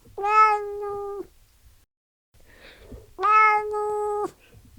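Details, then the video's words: Two drawn-out meows from a house cat come about three seconds apart. Both hold a flat, clear pitch for about a second, and there is near silence between them. "Som de GATO MIANDO (atrai gatos)"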